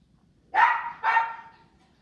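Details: Miniature Xoloitzcuintle puppy, a toy-sized Mexican hairless dog, giving two sharp, high yips about half a second apart, each falling slightly at the end, in an otherwise quiet setting.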